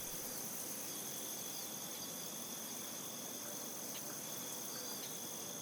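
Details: Crickets in a wheat field chirp in a steady, high-pitched shimmering chorus.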